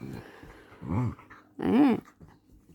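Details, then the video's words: Pet dog at night-time play, making low rough growls followed by a louder, wavering whine that rises and falls, in a small indoor room. "dog sounds"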